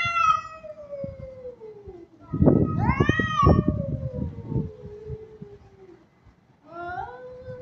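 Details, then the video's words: Aggressive-mood kitten gives a long drawn meow sliding slowly downward, a burst of louder arching meows with clattering noise around the middle, then a shorter rising meow at the end. "Cat sound meow || Kitten"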